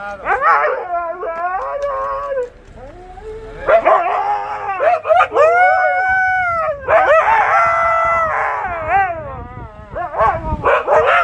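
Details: Max the Husky and Bombón react to a prank in which their owner pretends to sail away and leave them. Loud, excited howling and woo-woo vocalising, pitch swooping up and down in repeated bursts separated by short pauses.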